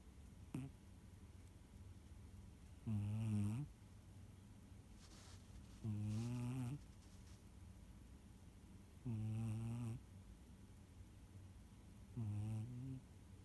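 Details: A female Siamese cat snores loudly while sleeping, in low, rumbling breaths that return about every three seconds.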